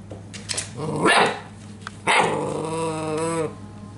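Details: Belgian Malinois puppies in Natick, Massachusetts. Two sharp yelping barks about a second apart are followed by a drawn-out, wavering, tonal whine that fades after a second and a half.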